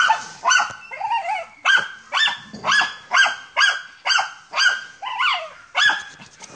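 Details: German Hunting Terrier on a wild boar hunt gives loud, ringing barks spaced roughly half a second apart, some with a wavering, yelping tail, steady and insistent throughout.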